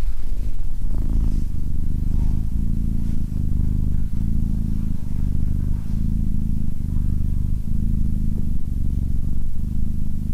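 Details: Abyssinian cat named SimbAs, calm and sitting close beside a person, purring: a steady deep rumble with low harmonic bands, broken by brief breath pauses roughly every second, continuous throughout with no other clear sounds.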